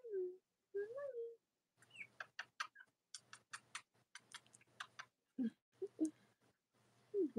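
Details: Newborn Cavalier King Charles Spaniel puppies from Robin and Myra's litters on a split-screen live stream in the US, chilly Monday morning near Halloween: wavering, falling whines and squeals between bursts of sharp clicking and rustling.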